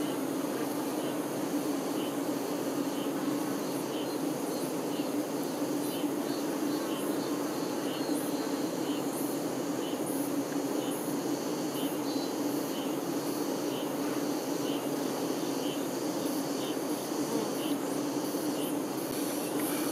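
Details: Honey bees, workers busy around the queen, keep up a uniform low buzz for the full stretch, with scattered faint high clicks and ticks above the drone.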